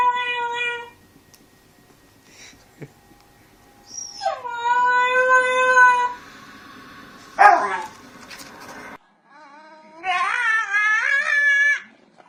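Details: Dog making funny noises: separate drawn-out whining cries, one swooping down then held steady, another wavering and rising, with quiet gaps and a brief scuffling noise between them.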